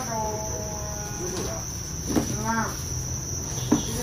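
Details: Thai crickets raised for breeding on a farm: a continuous, steady, high-pitched ringing drone runs throughout, with people's voices talking over it midway and near the end.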